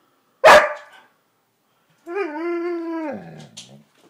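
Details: Siberian Husky complaining indoors because it is not allowed on the bed: one sharp bark, a pause, then a drawn-out, steady, harmonic howl-like moan lasting about a second that drops and fades into a breathy whine.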